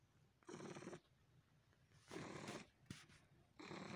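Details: Pet cat sucking and massaging a person, purring in three loud raspy bursts separated by quieter pauses, plus a brief click near the end; a small indoor room.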